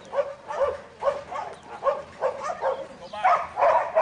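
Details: Young male Border Collie Buttons, in training as a 2012 futurity prospect, barks in a rapid run of short, sharp yips, speeding up and growing denser toward the end, with a faint voice underneath.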